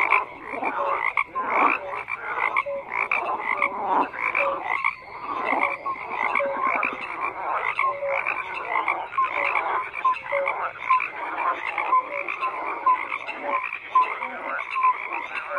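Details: Many frogs croaking together in a dense chorus, overlapping rough pulsed calls with short whistled notes and clicks, steady throughout with no other sounds.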